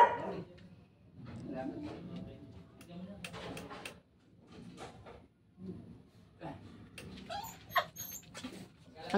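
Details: Pet dogs, a Shih Tzu and a Labrador, newly brought home; soft whimpering and yelps come in short bursts between human speech, with a few higher squeaks near the end.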